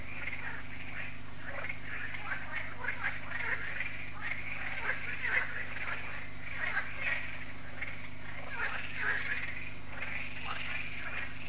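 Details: Evening frog concert at Lac de Sabatte, a lake in France, heard yearly as solar lights switch on. Steady murmur of many croaking frogs rising and falling, over a constant low electrical hum.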